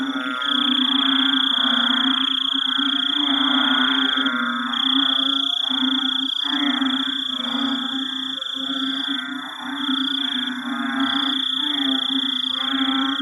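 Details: In a Singapore forest at night after heavy rain, an estimated 30–50 frogs and toads form a dense chorus of rapid overlapping croaks and pulsed notes, under steady trilling of insects such as crickets.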